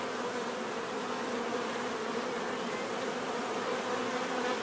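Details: Unbroken hum of bees, a full, even drone with a bright hiss above it, no pauses over the few seconds.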